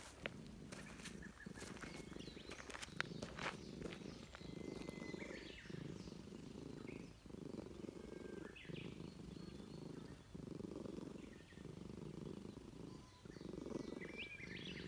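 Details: A stray Russian Blue cat in a park purrs steadily in low rumbling pulses while being petted, each breath a soft throbbing cycle, seemingly happy at a reunion with a familiar person.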